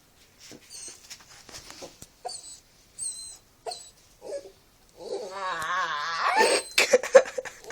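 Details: Puppies making weird noises: short high whistled squeaks in separate bursts, then a longer wavering whine with rising and falling harmonics, ending in louder scratchy squeals and rustling.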